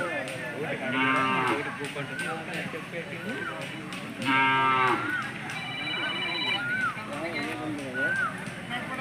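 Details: Hallikar cattle at the Sunday cattle market in Jodugatte, India: loud, harmonic lowing moos around one and four seconds in, with a busy market background of people's voices and other shorter animal calls.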